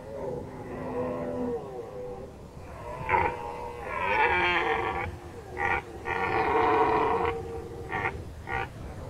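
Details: Red deer during the 2019 rut in Nationalpark Unteres Odertal. Drawn-out harmonic roars give way to a long, throaty bellow, then a run of short, pulsed groaning bursts, loud and hoarse, with faint background rustle.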